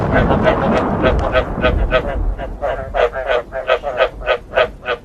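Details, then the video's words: Frog croaks with thunder, meant to stir frogs to breed: clear, throaty, pulsed croaks repeated about three times a second, a light low rumble beneath at first, the calls standing out more plainly toward the end. "เสียงกบ เสียงฟ้าร้อง เปิดให้กบอยากผมพันธุ์"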